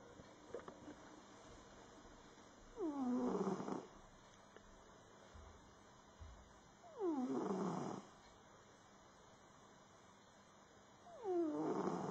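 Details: Sleeping domestic cat snoring: three loud, breathy snores about four seconds apart, each opening with a short falling harmonic whine and then a rough, noisy rasp lasting about a second, with steady quiet hiss in between.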